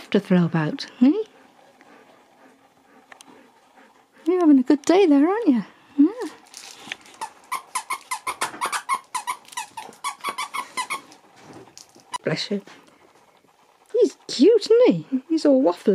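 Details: Husky named Nook at Easter, talking to his Easter egg, then ignoring it and playing with it before eating it. Wavering, yodel-like howling bursts at the start, middle and end, with a stretch of clicks and a human voice between.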